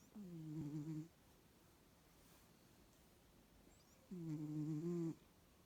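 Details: A Bengal cat (Felis catus) snores with low, droning, tonal breaths about four seconds apart.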